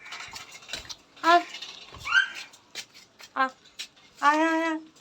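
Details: Mother cat that moved her kittens to another room, meowing indoors: several short harmonic meows and one longer drawn-out meow near the end, mixed with a person's voice and clinking household noises.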